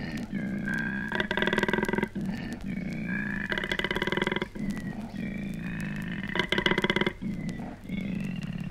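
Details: Male koala grunting, recorded in Australia and released on a 1968 record: rasping, snoring pulsed bursts alternate with smoother, tonal groaning exhalations, the cycle repeating roughly every two seconds over a low background hum.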